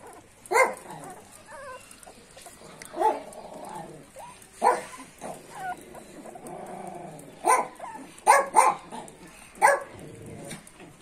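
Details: Wire Fox Terrier puppy with sharp, high yelps and whimpering barks spaced a few seconds apart, some in quick pairs, over a low background hiss.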